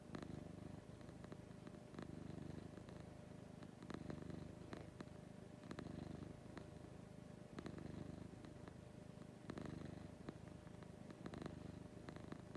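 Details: Lucy, a domestic cat, purring in the morning: a low, steady rumble with a rhythmic in-and-out pulse, punctuated by faint clicks and rustles close to the microphone in a quiet indoor setting.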